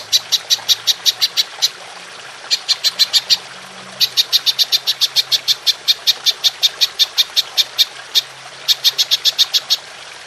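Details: Belalang emas (golden grasshopper) used as songbird master audio: crisp, high dry ticks delivered in quick bursts of about six to twelve, separated by short pauses, over a quiet hiss.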